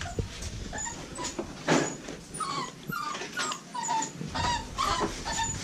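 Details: American Bully puppies from a breeding kennel giving short, thin, high squeaky whimpers, scattered irregularly and overlapping among several pups, with soft rustling and shuffling underneath.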